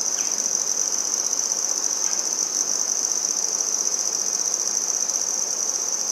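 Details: Handsome trig (red-headed bush cricket) singing in Maynard, Massachusetts, 14 September 2019: a loud, shrill, pulsing trill on a constant high pitch, with a couple of faint short chirps early on.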